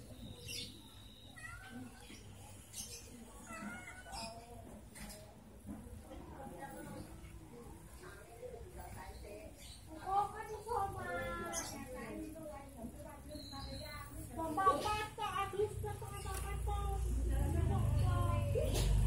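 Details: Angora cat lounging and meeting two village cats that wander past; a run of wavering, rising and falling meows grows busier midway, with people talking throughout and a low rumble near the end.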